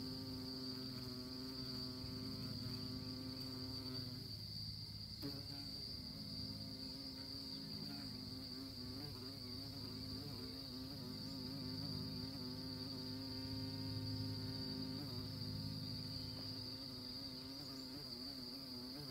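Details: Buzzing of honey bees among orchid blossoms, a rich droning hum whose pitch rises and dips as the insects move, with a brief click near five seconds and a constant faint high tone.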